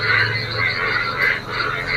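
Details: Frogs singing in a rain-flooded neighbourhood field on a rainy morning, a dense chorus of throaty croaks pulsing in waves about every half second over a steady high trill.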